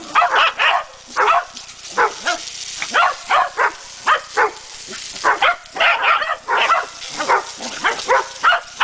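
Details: A corgi fighting a garden hose gives rapid, sharp barks in quick bursts, several each second, over a hiss of spraying water.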